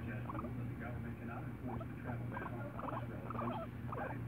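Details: Domestic guinea pig perched on a person's shoulder, making rapid clusters of short squeaky chattering calls with brief pauses between bursts, against a constant low hum.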